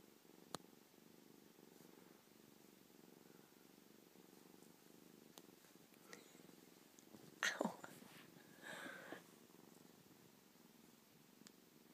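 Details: Biscuit, a cuddly five-week-old kitten two days after arriving in her new home, purrs softly and steadily indoors; brief rustling and a faint voice break in near the eighth second.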